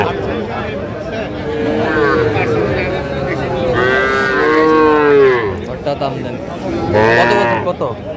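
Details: Sahiwal bull at a cattle market in Sylhet, Bangladesh, on 10 January: long, loud drawn-out moos with rich harmonics, several bellows in a row, the last one rising then falling, with people talking nearby.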